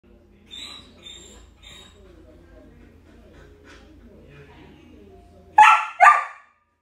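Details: Samoyed puppy at the vet giving three short, high, whining cries about half a second apart, a quieter murmuring stretch, then two loud, sharp yelping barks in quick succession at the end.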